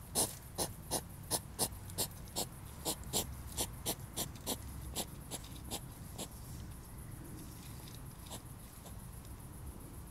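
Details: European hedgehog mating and fighting. A quick series of breathy puffing snorts slows and fades over the first six seconds, then only faint rustling and background hiss remain.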